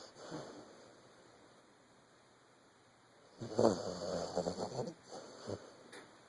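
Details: A 14-month-old Vizsla asleep, giving a soft snort and then a longer raspy, fluttering snore after a quiet pause, over a low constant hum.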